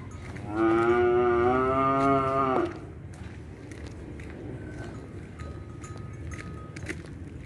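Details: Cattle pulling a cart in a village, Malangsari, in the evening before breaking the Ramadan fast: one long, steady, harmonic moo of about two seconds, then quiet outdoor background with faint clicks and a distant hum.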